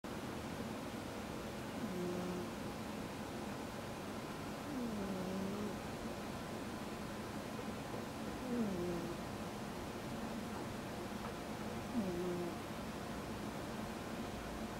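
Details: Ameta, a male pet cat with one damaged eye, once abandoned by a breeder, sleeps and snores: soft, low gliding wheezes come back roughly every three to four seconds against a steady hiss.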